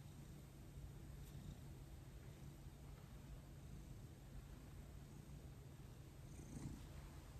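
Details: Domestic male cat purring steadily during a gentle massage of his head and back, in a quiet room. A continuous low rumbling purr runs unbroken through the recording, with soft background hiss.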